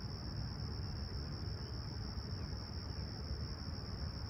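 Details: Summer dawn chorus of crickets at Toronto's Humber Bay Shores, 28 July 2020, clear and calm at 20ºC. A continuous thin, high buzzing tone holds steady while deep traffic-like rumble fills the background.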